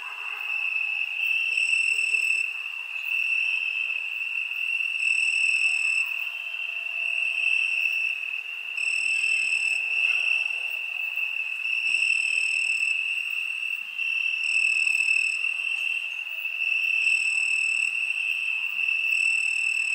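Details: Crickets on a summer night, a steady high shrill trill running without pause, its upper overtones swelling and fading in regular pulses every one to two seconds; no other sounds.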